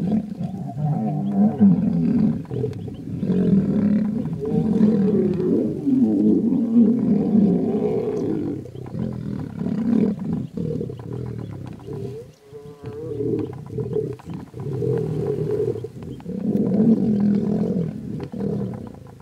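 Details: Two lion brothers fighting: continuous deep, rough roaring and snarling growls, loud and overlapping, with brief pauses around the middle before the snarls resume.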